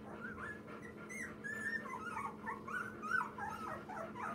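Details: Two-week-old Labrador mix puppy named Daisy, one of nine rescued lab-mix puppies with mother Minnie, giving a continuous run of thin, squeaky whimpers and yips that waver up and down, over a steady low indoor hum.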